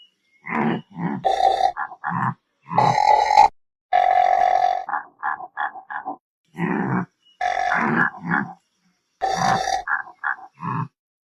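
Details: Antelope giving rough, throaty grunts: several longer raspy bursts mixed with rapid strings of short choppy grunts, irregularly spaced over about eleven seconds with short silent gaps.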